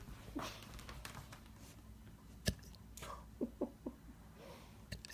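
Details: Puppy with hiccups while being cuddled: soft, short jerky pulses, a sharper one near the middle, then three quick hiccups close together, over quiet rustling and low background hum.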